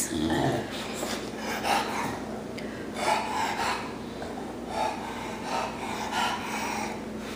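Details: Bonnie, a pet female dog inside a home, excited after raspberries are blown at her. Breathy, rumbling growl-grumbles come in bursts roughly every one to one and a half seconds, with a faint room hum underneath.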